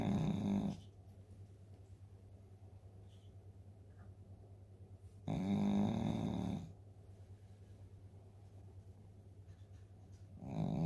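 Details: Eleven-year-old Shih Tzu Dooly sleeping after eating kibble, snoring noisily: heavy, raspy, low buzzing breaths lasting about a second and a half, spaced about five seconds apart, with near silence between them.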